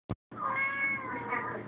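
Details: Pet cat talking back to its owner: a brief click, then one long, steady, slightly nasal meow with clear harmonics, level in pitch before fading.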